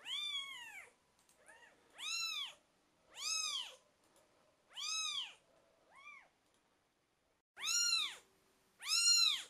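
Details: Twelve-day-old British Shorthair kittens mewing indoors: six high, arched mews with rich harmonics at uneven gaps, some louder and some softer and shorter, with a faint steady hum in the background.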